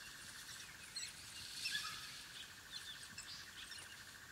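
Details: High chirping squeaks and twitters from African wild dog puppies gathered at their den, short scattered notes rising and falling, with a constant insect hum beneath.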